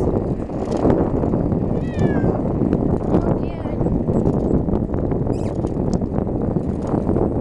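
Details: Ragdoll kitten named Punkin riding along on a bicycle, not liking the fast pace: a couple of short, rising-falling harmonic meows near the two- and three-second marks over steady rumbling wind and road noise, with a person talking.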